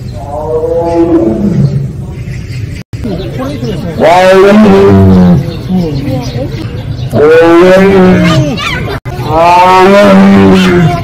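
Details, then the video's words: Siberian tigers of Penza's family at Seoul Grand Park, South Korea, giving their drawn-out 'aung' calls: three loud, harmonic, wavering moans, each lasting one to three seconds and separated by short pauses, with people talking faintly in the background. "펜자네 가족 아웅 총 모음."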